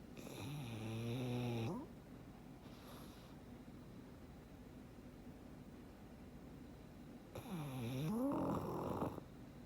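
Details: Frank, a black pug, sleeps contentedly and snores twice: a deep rattling snore at the start and another, rising then falling, near the end, with soft quiet breathing between.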